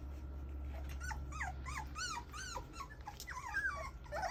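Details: Whining English Mastiff puppies give a quick series of high, arched, wavering whimpers, about two each second, some overlapping into a squeaky chorus over a constant low droning hum.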